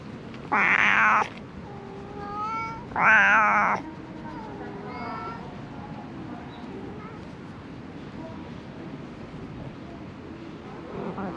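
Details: Homeless cat living in a heap of discarded rubbish gives two loud, strained meows in quick succession, then quieter tonal sounds and a long stretch of low background hiss.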